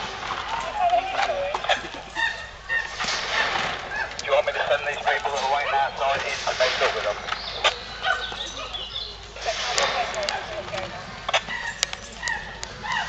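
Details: Chimpanzees at Twycross Zoo at snack time, excited about being fed: overlapping wavering hoots and shrill rising calls in irregular bursts, several animals calling at once over a busy, noisy background.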